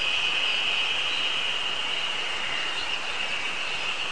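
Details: Terpnosia nigricosta chorus heard on a mountain on 24 May 2019, just started singing for the season: a steady, even, high-pitched buzzing wash with no breaks, and birds faintly in the background.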